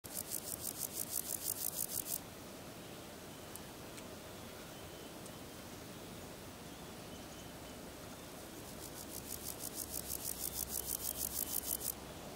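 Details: A male marsh meadow grasshopper (Chorthippus curtipennis) stridulates with legs and wings in two bursts of fast, hissy rasping pulses separated by a quiet pause; Earl Rowe Provincial Park, Ontario, July 20, 2013.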